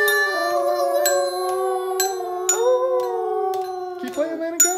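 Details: Mila the husky sings along with two children playing an instrument: a long, steady, mid-pitched howl that rises slightly near the middle, over bright struck metallic notes and a child's voice.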